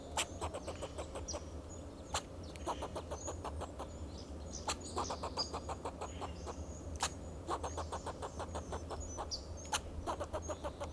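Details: In Del Monte Forest, California, a fox squirrel on a Monterey pine calls in alarm to guard itself and its territory: long, even trains of clipped, rasping chucks at a quick steady pace, with thin whistled bird notes and a constant low rumble.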